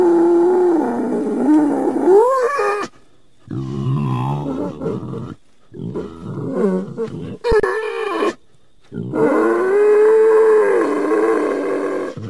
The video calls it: Wild Boar Sounds